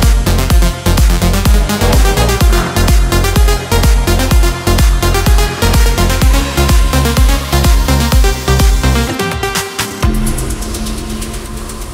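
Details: Steady electronic dance music with a driving beat of about one thump per second and layered synth tones, fading into a softer sustained tail near the end.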